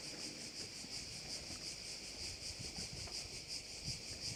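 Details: Crickets heard over a bay on Korčula, Croatia: a dense, high, buzzing chorus that pulses steadily about three times a second, with faint wind rumble underneath.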